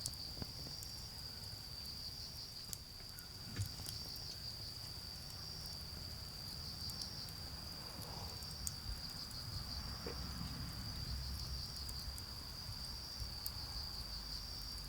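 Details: Night-time autumn insect chorus in a garden where a bonfire burns down to charcoal: an unbroken high-pitched trill with faint pulsing, beneath scattered crackles of burning wood and a low background hum.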